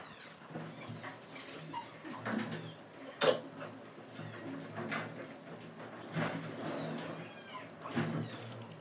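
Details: Shiranian, a small Shih Tzu and Pomeranian cross, being groomed: faint, high, thin whining whimpers that arch up and down in pitch, a few spread across the stretch, over clicking grooming noise and steady room hiss.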